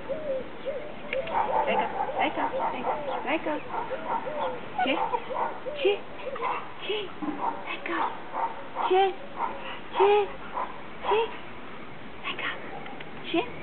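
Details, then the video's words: Siberian Husky named Laika, a female in training to talk on command, gives a run of short rising and falling howl-like yips and mutters, many brief bends in pitch, with a person's voice mixed in. "Training a husky to Talk at command"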